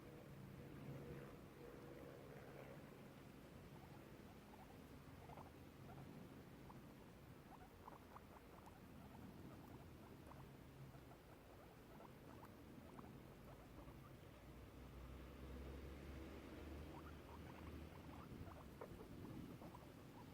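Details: Two guinea pigs out on the grass in a garden, one eating grass, make soft, quick chattering clicks and brief squeaks over a low background hum.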